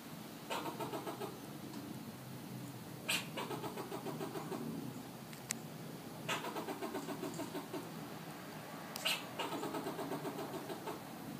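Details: A fox squirrel in Southern California gives bursts of rapid, raspy chattering notes, each run lasting about a second.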